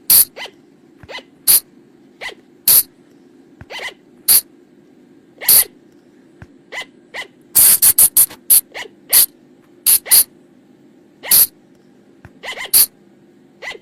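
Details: Nighttime lure sound of the flying lemur from the forest: many short, shrill, grating bursts scattered irregularly, with a dense rapid flurry around the middle and quieter softer notes between them, all over a faint low background hum.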